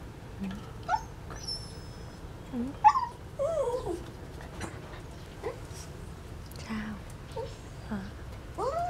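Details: A domestic dog whimpers in short, soft, high whines, some bending up and down in pitch, scattered irregularly through the moment against a quiet indoor background with faint speech.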